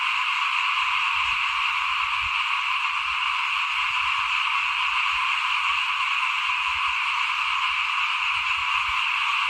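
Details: Frogs calling in front of a house at rice sowing time in 2021, as seed is broadcast before planting; a dense, unbroken chorus of many callers forms a steady wall of trilling, with faint low rumbles beneath.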